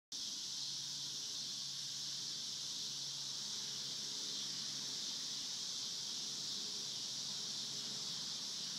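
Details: Cicadas recorded on a farm, a continuous loud, steady buzzing drone at high pitch that holds without pause throughout, with faint low hum beneath.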